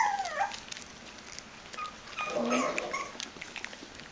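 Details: Bichon Frisé puppies aged five weeks and two days, from a litter of five at a kennel in Vejle, Denmark: a brief high whine sliding downward opens, then softer squeaky whimpers and small rustling sounds follow about two seconds later.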